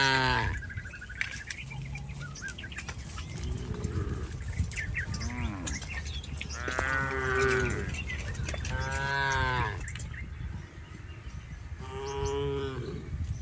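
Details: Herded tame cattle in a rice field, a series of short lowing calls, several rich harmonic moos between six and thirteen seconds, some overlapping, amid steady low outdoor rumble.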